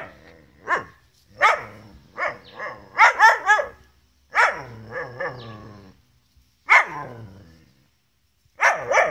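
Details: A Gerberian Shepsky dog barking and yowling at his collie cross German Shepherd sister to get her to play, though she does not want to; bursts of harmonic, wavering barks and howl-like yowls come in quick clusters with short silent gaps.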